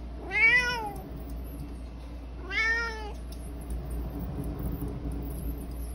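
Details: Indoor male Bengal cat, prompted by its owner to meow again, gives two short, bright meows about two seconds apart, each rising then falling, followed by quiet room background.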